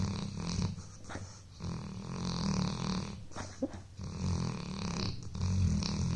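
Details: Buddy, a pet dog, fast asleep indoors after a long day of playing, gives low rumbling snores in long breaths, with a brief squeaky wheeze between them in a quiet room.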